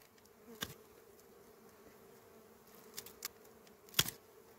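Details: Small bees at a honey harvest give a soft, steady humming drone, punctuated by a few loud sharp clicks and knocks.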